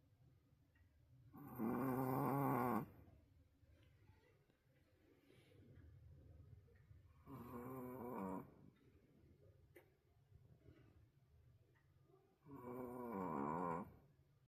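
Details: Sleeping wolf sable Pomeranian named Roku, apparently worn out, gives three loud, buzzy, rasping snores roughly every five to six seconds, with soft breathing between them indoors.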